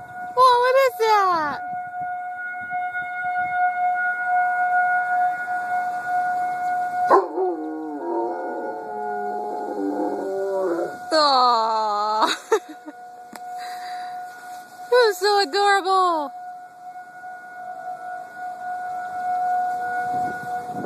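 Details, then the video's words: Chief, a dog, howling in response to a siren: several wavering, harmonic-rich howls that slide downward in pitch, coming in bursts separated by pauses, over a steady droning siren tone. "Chief howling at the Siren."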